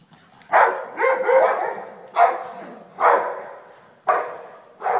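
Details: Dog barking in five loud bursts roughly a second apart, each bark harsh and broadband with a long fading, echo-like tail between calls.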